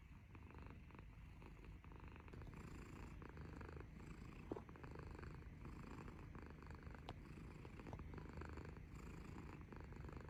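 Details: Adorable black kitty kneading as it snores, giving a continuous low rumble that rises and falls in gentle waves about every second, with a couple of faint clicks in the quiet room.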